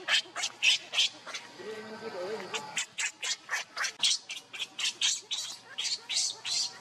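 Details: Hungry baby monkey crying as it begs its mother for milk: a rapid string of short, shrill squealing cries, about three a second, with a brief lower murmuring sound partway through.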